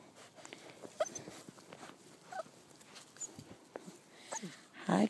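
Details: Puppies whimpering while being handled; soft, brief high-pitched whines and yips scattered through the clip, with a woman speaking and handling noises, ending in a louder burst.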